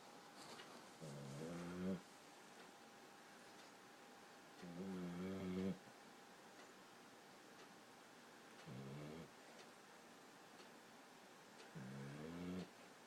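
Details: Maggie, a 14-week-old Boxer puppy, snoring while asleep: rhythmic rasping breaths with a wavering, buzzy tone, one snore roughly every three to four seconds, soft and low, with quiet room background between.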